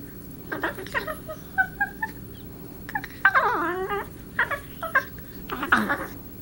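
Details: Darla, a pet cat, playing with another cat, Marvin, indoors, giving odd alien-like noises: a run of short chirps and warbling trills, some bending downward, in bursts roughly every half second, over a quiet room hum.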